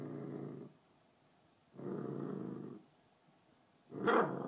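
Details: A female beagle, protective over her bones, gives two long, rough, low growls of about a second each, followed by a sharp single bark at the end, indoors.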